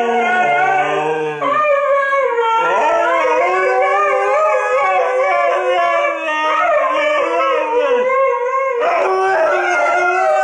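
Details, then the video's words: Two pet Siberian huskies, Toga and Major, howling together in a chorus instead of barking; long wavering tones overlap and slide up and down, with brief breaks between phrases. "The Husky Chorus (huskies howling)"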